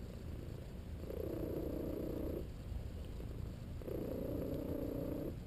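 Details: ["Male house cat napping and enjoying a massage, purring steadily. The low continuous rumble carries two whistle-like squeaky tones, each lasting over a second, on the purr's breaths, with a thin high tone alongside them."]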